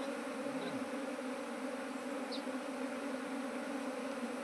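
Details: Honey bees in a beekeeper's colonies, started from a single hive, give a continuous even buzzing drone. It holds a low steady pitch with a fainter upper band throughout, and two tiny high ticks.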